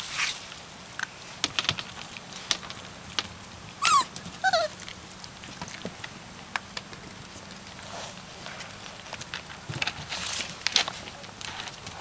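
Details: Catahoula Leopard Dog puppies, one month old, from the Lady Bailey and Beau Duke litter; two brief high whines slide steeply downward about half a second apart, set among steady scuffling, clicking and pattering noises.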